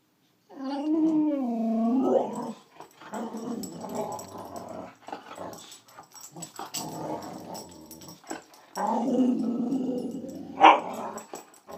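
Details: Boxer female growling at a border collie while bullying it in play, letting it know who's boss, indoors; harmonic howling growl-moans rise and fall, with a long low growl and a sharp yip near the end.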